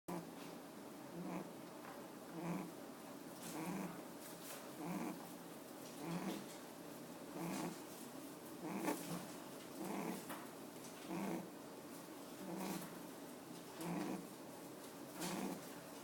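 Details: Pet rabbit at a rabbit café, sleeping with its eyes open, snoring softly: short breathy, rasping snores repeat steadily about every 1.2 seconds, each a low buzzy puff with faint higher hiss, over a quiet indoor background.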